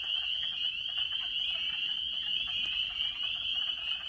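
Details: Spring peeper chorus at night on April 12, 2017, in Maine: tiny tree frogs, adults about thumbnail size, calling to mates. A dense chorus of high, clear peeps overlaps into a steady, shrill, amazingly loud ringing. A sign of spring.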